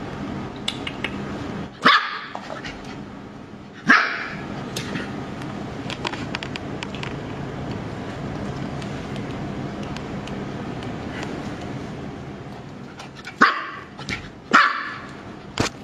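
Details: ['Lively puppy giving four sharp, bright barks: a pair near the start, then a long stretch of steady low background hum before two more barks close together near the end.']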